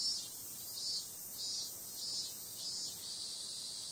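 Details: Summer-night cicadas: a high, unbroken drone pulsing louder and softer roughly every three quarters of a second.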